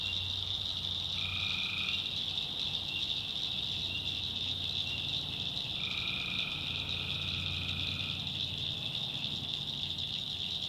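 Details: A North Carolina swamp at night full of tree frogs: a bright unbroken chorus, with two longer, lower trills cutting through, one short and one lasting over two seconds.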